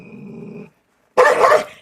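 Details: Belgian Malinois on a leash during a dog challenge: a low, steady rumbling growl lasting under a second, a short silence, then one loud, harsh bark.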